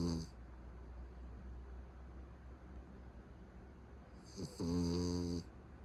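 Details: Sleeping Beagle whose snoring grows to match a middle-aged man: a short snore opens, then after a quiet pause a long, deep, vibrating snore with a droning buzz lasts about a second.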